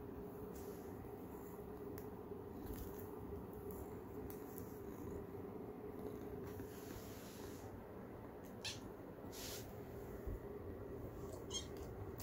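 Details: Polaris, a pet cat, gives a little squeaky meow: faint, brief high-pitched calls cluster in the later seconds over a steady low indoor hum, with no other animals clearly heard.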